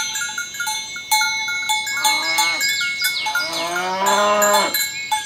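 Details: Tame cows being herded in the morning along village roads toward their pen give two drawn-out, harmonic moos, the second longer and steadier at about one second, while cowbells clank steadily and birds chirp in the background.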